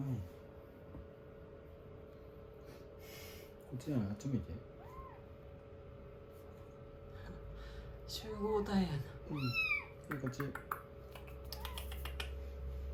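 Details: Rescued kittens settling on a lap after a bath and blow-dry, day 16 of a growth record: scattered short meows among human speech, a low hum returning at the end.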